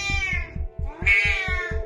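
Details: A clingy Siamese cat screams for attention when its owner tries to keep some distance, getting louder the more it is ignored: a short falling cry, then a longer, louder, drawn-out scream, over a pulsing music beat.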